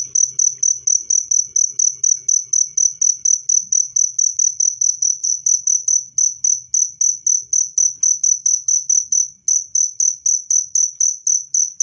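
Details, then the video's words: Cricket chirping loudly and clearly, offered as a natural way to drive away rats and to calm stressed cage birds: a high, pure, pulsed chirp repeated steadily about four times a second, with a faint low hum beneath. "SUARA JANGKRIK PENGUSIR TIKUS jernih dan keras"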